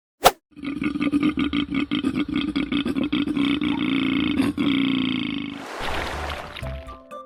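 A koala gives a long run of rapid, rasping, belch-like grunts that throb steadily for several seconds.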